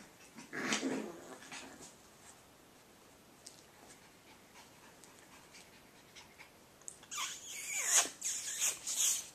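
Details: Playing Cavachon puppies: one harsh growling snarl early, then quiet, then a run of breathy, rasping growls and scuffles near the end.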